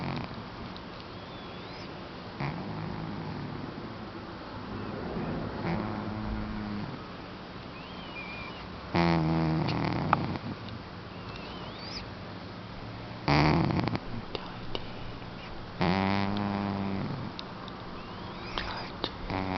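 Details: Sachmo the house cat snores in beauty sleep: long quiet stretches broken by three loud rattling snore breaths, each about a second long, separated by several seconds of soft breathing.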